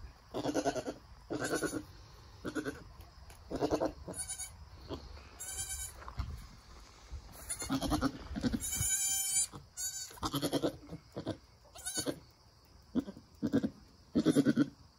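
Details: Nigerian Dwarf goat doe with her newborn doeling kid, birth through standing and nursing; many short pulsed low bleats, with a thin, higher, wavering bleat near the middle, spaced every second or so over background hum.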